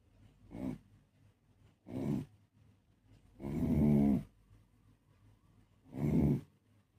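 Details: A Beagle asleep and snoring, four rough, buzzy snores roughly every one and a half to two seconds, the third longest and loudest, with soft breathing between them and no other sounds.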